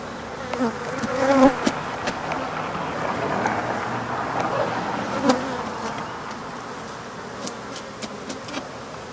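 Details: Hive of African honey bees being taken out and the bees killed: a continuous, hazy buzz of many insects with a brief louder flight tone near the start, dotted with faint clicks and knocks from the work.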